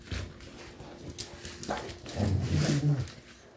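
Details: Fighting pit bull giving a harmonic, moaning growl in its last second and a half, voiced and wavering, preceded by sharp knocks and scrabbling noises.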